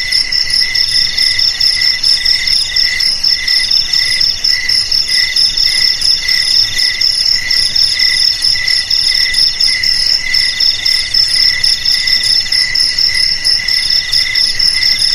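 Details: Crickets chirping, played to scare off rats: a steady, ringing high-pitched trill broken into rapid pulsed bursts that run on without pause for the whole stretch, with overlapping callers and nothing else audible.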